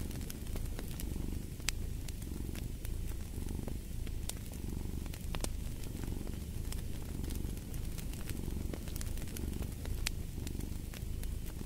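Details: Domestic cat purring steadily, a low rumbling pulse swelling and easing in roughly one-second cycles, set against a crackling fireplace with frequent sharp pops.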